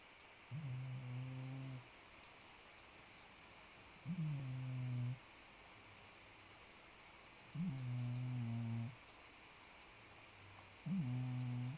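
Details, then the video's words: Podo, a pet cat, snoring while asleep: four low, steady droning snores with faint harmonics, each about 1.3 seconds long and coming roughly every 3.5 seconds, with quiet breathing gaps between them. "장포도 코고냥 Podo's snore"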